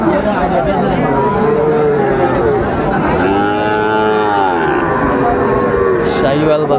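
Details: Lowing of Sahiwal cattle at a busy Chittagong livestock market, 16 September 2024: a long, full-bodied moo swells mid-clip and bends downward, with shorter moos from other animals and constant human talk behind.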